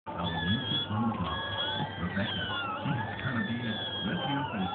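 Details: Newborn Schnauzer puppies, a litter just delivered by caesarean, whining for milk: continuous high, wavering whines from several pups overlap throughout, over a lower murmur of voices.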